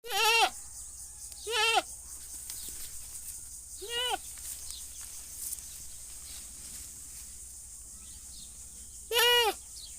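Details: Goat bleating: four loud wavering, nasal bleats about half a second each, spaced irregularly with quiet gaps and a steady low hum beneath.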